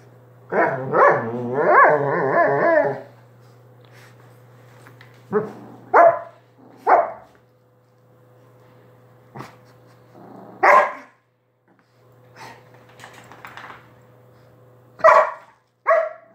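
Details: Dog indoors giving a long wavering, harmonic bark-whine lasting about two seconds, then single sharp barks spaced irregularly over sixteen seconds, with a steady low hum and faint tone running underneath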